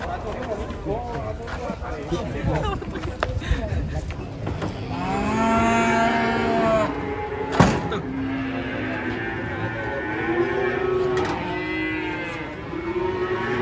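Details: Cattle being unloaded from a truck, mooing repeatedly in drawn-out harmonic calls that rise and fall, several overlapping, with background music, a sharp knock near the middle and people talking.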